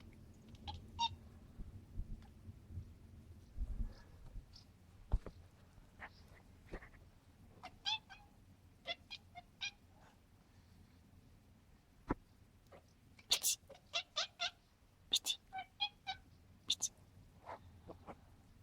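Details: A British Shorthair cat excited by birds flying past, making funny noises: short clicking, chirping bursts in quick clusters, sparse at first, then denser and louder toward the end, over a faint low hum.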